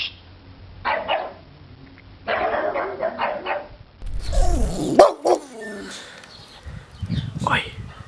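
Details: Boxer dog. A Boxer makes strange, drawn-out barks, first in short gruff bursts and then in warbling, yodel-like cries that slide up and down. People can be heard talking in the background.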